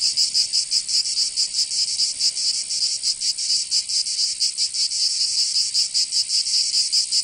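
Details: Cicadas in summer, Provence, southern France, giving a sizzling high-pitched buzz that pulses unevenly in quick beats, a steady insect chorus with no other sounds.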